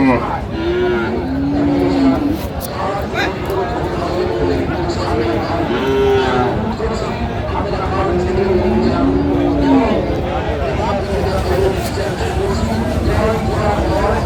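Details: Bulls for sale at the crowded Raniganj market in March 2025, bought by Chattogram farmers ahead of Qurbani; several low, sliding moos come at intervals over constant human chatter and background bustle.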